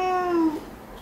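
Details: Pet cat Angju, held for a claw trim indoors, gives a short plaintive meow, a clear tonal wail of about half a second that drifts gently lower before stopping.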